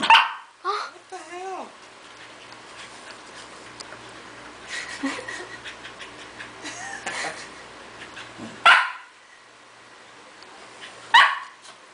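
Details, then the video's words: Corgis Toki and Toby tugging at a toy during play, giving abrupt, noisy snorts and huffs: a cluster at the start, then quieter breathing, and two strong bursts a few seconds apart near the end, with a brief human voice. "Toki makes wierd noises"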